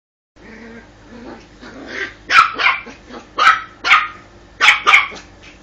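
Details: Female pet dog barking in short, sharp bursts: about six barks falling in loose pairs over three seconds, preceded by softer whiny vocal sounds.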